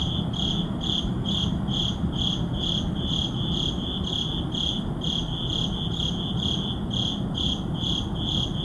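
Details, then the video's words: Midnight crickets in a city neighborhood keep up a regular, shrill chirping, roughly two to three pulses each second, with a broad low background rumble beneath. "Urban Midnight Crickets"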